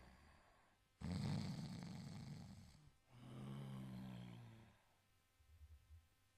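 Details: Low, raspy snores from an Italian Greyhound while it sleeps: one strong harsh inhale, then a softer humming breath, followed by faint small snuffles.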